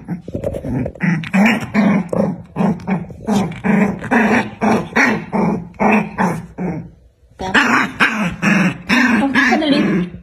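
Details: Black dog and white dog fighting, growling and snarling in rapid bursts about twice a second, harsh broadband rumbles with short yips, one brief pause near the middle.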